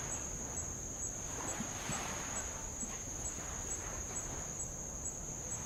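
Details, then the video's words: Tongan insects recorded while rowing around Avalau island, Tonga: a continuous thin, high ringing tone holds steady beneath gentle lapping waves on old lava, with faint rhythmic ticking above it. "sound of light Waves on old lava and Insects"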